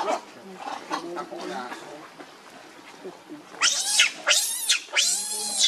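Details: Baby monkey Leo, hungry and begging its mother for milk, gives a burst of three loud, shrill, arching screams near the end, after a quieter stretch of faint, murmuring background sounds.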